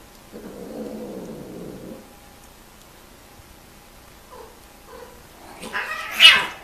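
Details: Mating domestic cats: a low, rough yowl for nearly two seconds, a pause with soft short mews, then a sudden loud, piercing high screech that rises sharply near the end.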